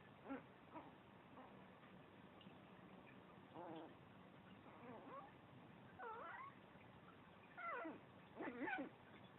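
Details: Chihuahua playing alone and making funny noises: several short whiny, wavering vocal bursts rising and falling in pitch, growing more frequent toward the end, over a quiet indoor background.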